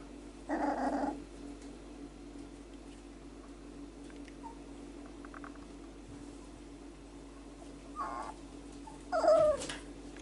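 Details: Male Whippet puppy, four weeks old, exploring his range of vocals indoors: three short whiny yelps, one near the start and two close together at the end, the last sliding downward, with quiet room hum between.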